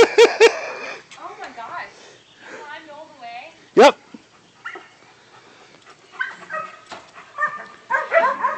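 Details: Three-month-old puppy that climbed a ladder onto a deck under construction; sharp barks and yips at the start and near four seconds, mixed with harmonic whines, among human speech.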